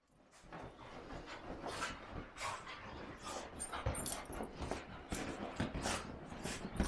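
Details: Large male English cocker spaniel, excited and running wild after his wash, making scuffling, breathy bursts and soft whimpery noises in quick irregular succession, with constant rustling and movement noise throughout.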